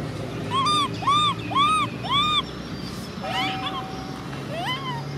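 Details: Cola, a baby macaque, cries near angry sister Lyly: four loud, evenly spaced arching wails about half a second apart, then softer wavering squeals and a brief rising whine over a steady low hum.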